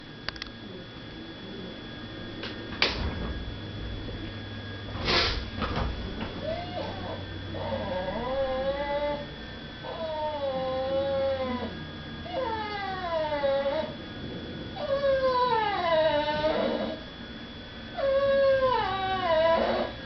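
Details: Female pet dog crying indoors, kept from begging at the dinner table while people eat in another room; a quiet start with a few clicks, then five wavering, high, harmonic whines, each lasting about a second, repeated every two to three seconds.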